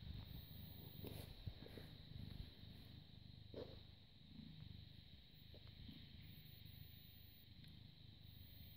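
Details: British Shorthair cat born 18 August 2010, purring while being cuddled and kissed on 30 August 2017 at 09:51; low throbbing purr in steady cycles, a few clicks and rustles from handling, faint hum throughout.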